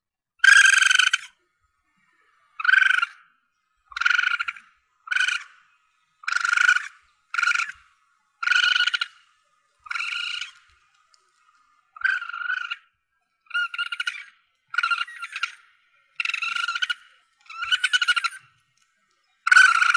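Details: Calls of a young Asian palm civet, used by hunters to call in prey: about fifteen short, buzzy, harmonic squeals, each roughly half a second, repeated irregularly about once a second over silence.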